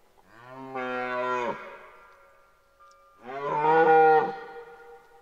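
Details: A red deer stag in rut at Parc naturel de Boutissaint in 2023 lets out two drawn-out, moaning roars, each swelling for about a second and cutting off abruptly, with quiet between them.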